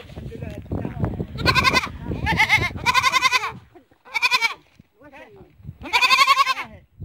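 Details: Goats calling in a barn: loud, quavering bleats with rich vibrato, four long cries spaced about a second or two apart, with softer grunts and low shuffling noise between them.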